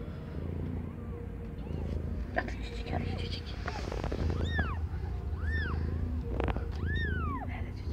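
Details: Aimee, a cat not yet one year old, giving birth to five kittens of differing colours; three high, arched mews rise and fall in the second half over a steady low hum, with faint speech and rustling earlier.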